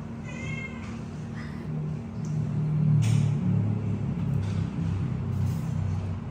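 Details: Three kittens give high, thin meows, repeated every second or so, calling for milk over a low background rumble.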